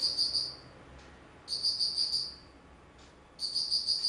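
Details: Autumn insect calling, recorded on 19 September 2009: high, pulsed trills in bursts of under a second, each a quick string of bright ticks, returning about every two seconds over a faint low background hiss.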